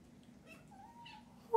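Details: A kitten, expecting food once a person stands up, gives one clear drawn-out meow, steady then slightly rising, in a small quiet room with faint background hum.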